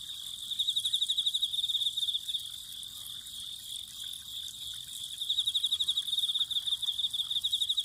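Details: Autumn insects chirping beside a spring, with high, rapid pulsed trills repeated in two long bouts and a fainter, higher shimmer above, over a steady low hiss of flowing spring water.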